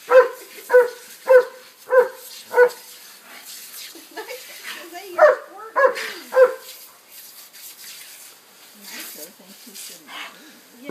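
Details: Excited pet dog barking while chasing a garden sprinkler and getting soaked: a run of five sharp, evenly spaced barks, then a pause and another burst of barks, with people talking and laughing in the background.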